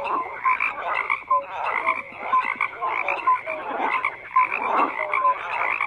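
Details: Frog chorus of rasping croaks beating in irregular waves, punctuated by short clear whistled notes about once a second and a few lower brief calls, with nothing else audible.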